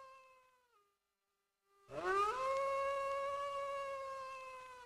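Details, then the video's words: Wolf howl: a quiet tail of an earlier howl dips and fades, then after a short silence a new howl sweeps upward and holds a long, steady, rich tone to the end. "Wolf Howling"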